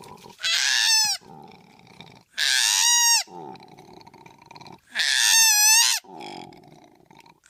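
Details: Koala uttering three drawn-out, shrill squeals, each slightly falling at the end, spaced about two seconds apart, with low raspy grunts filling the gaps between them.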